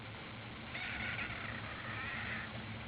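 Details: A ginger kitten crying: one drawn-out, wavering meow of about a second and a half over steady background hiss.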